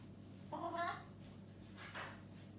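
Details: Maine Coon cat named Titus, making his strange turkey-like gobbling noise, typically when excited or a bit confused; a short warbling, tonal burst with stacked harmonics, followed by a fainter second call, in a quiet indoor room.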